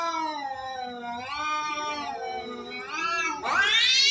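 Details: Cats fighting: a long, loud, wavering yowl with rich harmonics, sliding down and up over four seconds, then a sharp rising snarl-like cry at the end.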